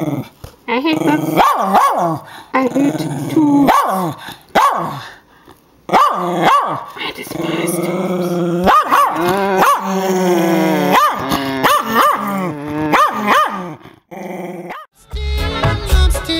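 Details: Westie confronting a paper tube that a person talks through, producing a long series of harmonic growls and sharp arched barks in irregular bursts, separated by brief pauses, with human speech mixed in.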